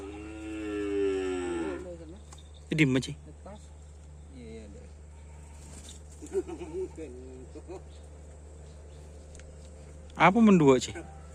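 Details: Sapudi Island cattle of karapan sapi bull-race stock: a long, drawn-out moo of nearly two seconds with a wavering pitch, then bursts of human voices later on, all over a steady low electrical hum.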